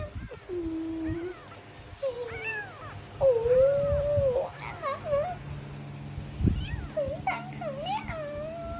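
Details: Kitten meowing indoors as a woman talks about feeding it milk: a few separate high, arched mews with rising and falling pitch, some short and choppy, over soft background music and a low hum.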